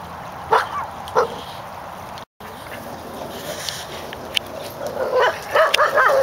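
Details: A dog named Corgi in a park, recovering and now able to manage a small incline, gives two short, sharp yips early on. A quiet stretch follows, then a quick cluster of higher yelping barks near the end over steady outdoor background noise.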